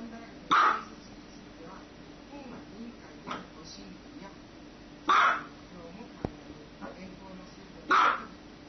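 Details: Dog barking: three loud, harsh single barks spaced roughly two to five seconds apart, with a couple of softer, shorter barks between them over a low background murmur.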